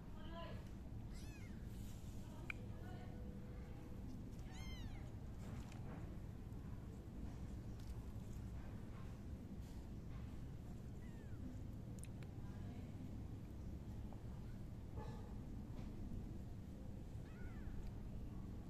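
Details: Tiny tiger kitten meowing: short, arched, high meows scattered through the clip, the loudest and clearest midway, the others fainter and spaced several seconds apart, over a steady low rumble with some human voices.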